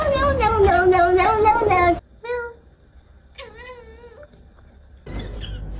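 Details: Cat letting out a loud wavering yowl for about two seconds, then two softer separate meows, with a low hum and a burst of noise at the end.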